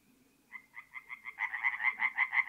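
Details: A tree frog at a forest pond in north-east Italy on an April night starts a quick series of harsh croaks, spaced slowly at first and then speeding up and growing louder as a second caller joins.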